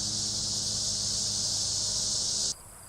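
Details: Annual (dog-day) cicadas in mid-Michigan at the end of summer, a classic late-summer sound, give a steady, high, hissing buzz that holds unbroken, then stops abruptly.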